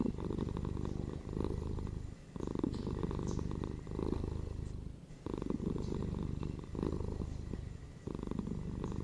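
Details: Close domestic cat purring indoors, a continuous low rumbling vibration that swells on each breath in and out, with brief quieter pauses between breaths roughly every one to two seconds.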